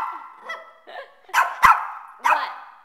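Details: Pet Shih Tzu, a male, denied a chance to go play; steady high whining broken by three louder yelping barks in the second half, indoors.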